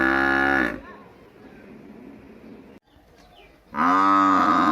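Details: A village buffalo gives two deep, drawn-out moaning calls with a quiet pause between them.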